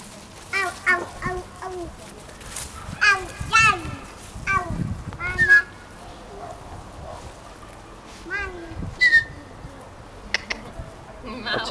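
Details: Jack Russell Terrier puppies from a breeder's second litter give high, squeaky whines and yelps in short bursts, several overlapping notes rising and falling, with people talking in Polish nearby.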